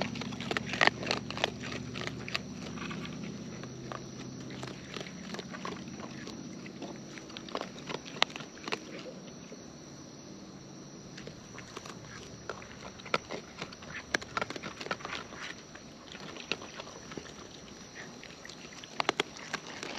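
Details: Close-up chewing of wild raccoons while they eat, sharp scattered crunches and clicks at uneven intervals, with some soft low rumbling early on and a quieter stretch midway.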